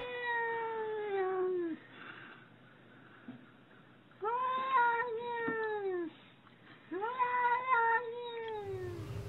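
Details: Domestic cat giving three long, drawn-out meows, each lasting nearly two seconds, bending slightly in pitch and rich in overtones, with short quiet gaps between them; faint background hum, and a brief rustling noise at the very end.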